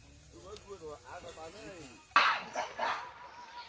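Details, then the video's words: Baby macaque abandoned by its mother, lying on the ground and crying: thin wavering tonal whimpers that rise and fall in quick succession, then a sudden burst of harsh broadband noise takes over. "Baby monkey lying on the ground crying"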